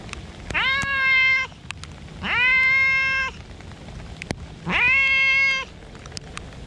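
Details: Park cats out in the rain: three long meows, each rising sharply then holding a steady harmonic-rich tone for about a second, spaced roughly two seconds apart, with soft rain patter and faint clicks beneath.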